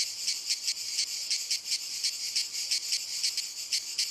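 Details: Cicadas singing in walnut trees: a dense, high buzzing chorus pulsing about five times per second in a steady throbbing rhythm, with no other sounds.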